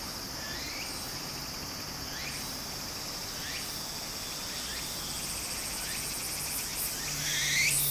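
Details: Cicadas droning in summer next to a stream in Japan: a constant high, metallic hiss. Several brief rising whistled chirps are heard, likely from birds, and the sound of water grows slightly louder toward the end.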